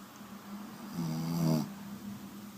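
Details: Pugalier named Penny snoring like a pig, one loud buzzy, rattling snore of about 0.6 seconds rising then cutting off, framed by quieter low breathing in a calm indoor setting.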